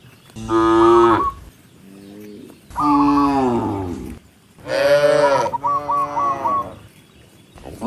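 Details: Tame cattle, tens of them, moving along a rice field road; three loud, long, bellowing moos with a softer lower moo between, each lasting about a second, and faint high chirping over the later calls.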